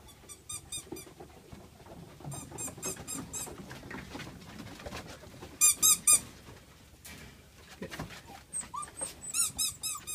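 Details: Several black German Shepherd puppies in Peterborough give rapid, piercing squeaks in rhythmic clusters. One burst midway is especially loud, and the squeals grow denser toward the end over soft background rustling.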